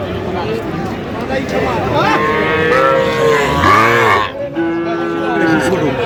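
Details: Small Sahiwal calves, bull and heifer, at a cattle market in Madaripur, Bangladesh, 13 January 2026: a series of wavering, rising-and-falling moos, one low and hoarse, over a constant murmur of buyers and sellers.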